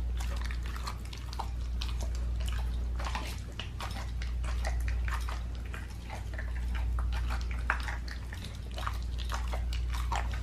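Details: Pit bull eating a raw leg of lamb, rapid wet crunching and gnawing, roughly a few bites each second, steady low background hum throughout.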